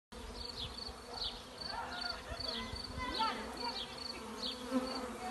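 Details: Many Western honey bees with their queen in an apple tree make a dense, steady swarm hum.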